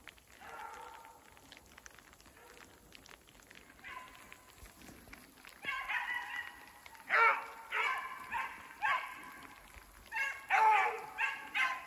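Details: Beagles Koblers Running Whiskey River (Rio) and his sister Ripley chasing a snowshoe hare in woods during snow and rain; a few distant bays grow into a run of loud, rapid baying, several per second, over rain.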